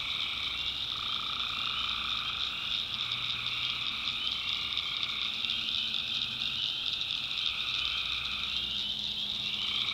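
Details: Night chorus of tree frogs from North Carolina backwoods swampland, many voices trilling continuously in stacked high bands, with slower pulsing notes rising and falling beneath and a low murmur in the background.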